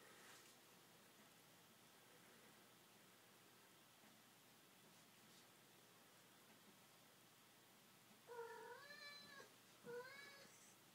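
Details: Indoors in a living room, a male cat playing with a ribbon; a long quiet stretch with faint room hum, then two short rising meows close together near the end.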